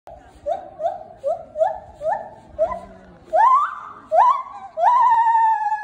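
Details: A white-handed gibbon at Asahiyama Zoo, recorded 26 September 2019, gives a run of short rising hoots that swell into longer, louder whooping notes.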